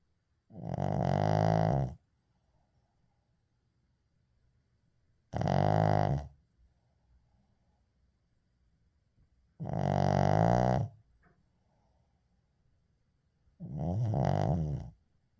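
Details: A sleeping Shih Tzu called Uijung snoring steadily, four buzzy, resonant snores each lasting over a second, coming about every four seconds with hushed gaps between.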